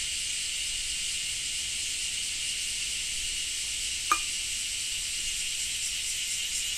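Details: Cicada drone in Japan, a continuous shrill high buzz in two steady bands, with one sharp click partway through.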